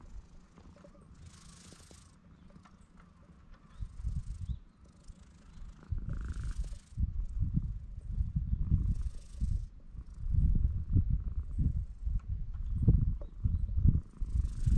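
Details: Stray cats on a cat island under a blue sky, recorded on a GoPro HERO8: deep low rumbling purr in irregular pulsing bursts that grow louder through the second half, with soft breathy hiss bursts above.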